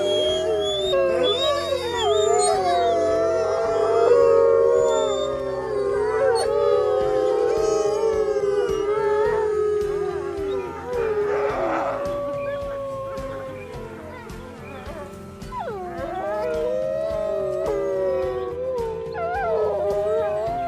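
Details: Several wolves howling together at night, long overlapping wavering tones that rise and fall, some held and some sliding, layered over steady background music.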